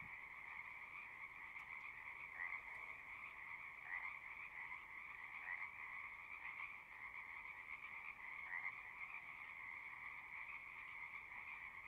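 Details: A constant chorus of singing frogs with an even trilling drone, and a few louder individual chirps popping out every couple of seconds.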